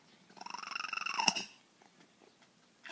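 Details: Formerly very wild female feral cat, now tame after years of care, making a bird-like 'talking' sound: a rolling, pulsed trill of stacked harmonics lasting just over a second, ending in a sharper accent, then quiet room noise and a brief rustle.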